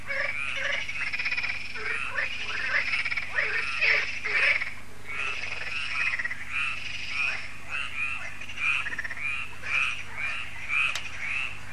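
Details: Frogs croaking en masse at a French lake, Lac de Sabatte, at dusk under solar lights; a loud continuous chorus of rapid rattling croaks, individual calls overlapping and surging, with a faint click near the end.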